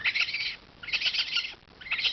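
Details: Orphaned newborn raccoons, abandoned by their mother in a warehouse and collected from animal control, crawling and calling for their mother; bursts of shrill, squealing chittering cries in two or three pulses with brief pauses between them.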